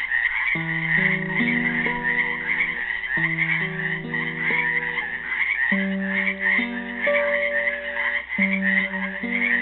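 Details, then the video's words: Frogs trapped in a pool in Helix, Oregon, on Earth Day 2016, form a dense, continuous high croaking chorus, while a classical guitar plays a slow picked melody of sustained low notes beneath them. "GUITAR AND FROGS SINGING"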